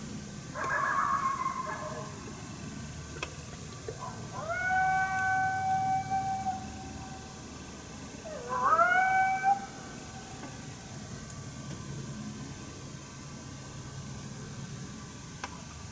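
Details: In woods by a small river in Ontario on 1 March 2019, an unseen coyote unhappy with a person's presence gives a challenge bark: a harsh, raspy bark, then two long rising howls that flatten out, over a low hum.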